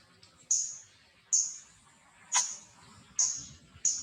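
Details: Wild baby monkey Lily, waking up and clinging to its mother Aika, gives short, very high squeaky chirps, about five in four seconds, each sliding down quickly, over a faint low rustling background.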